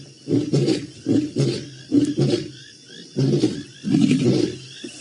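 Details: Maasai Mara lions roaring, 7 November 2017: deep, throaty grunts come in quick clusters, about eight bursts in five seconds, separated by short quiet gaps, against faint open-air background.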